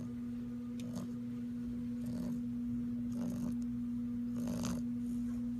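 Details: Bulldog puppy Weston asleep, giving soft rasping snores that rise and fade roughly once a second, with a constant low hum in the room behind.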